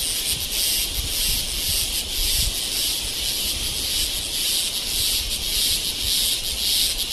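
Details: Cicadas in Kodaikanal and Thekkady, India, 2014, give a loud, steady, high-pitched buzzing drone that pulses faintly in strength.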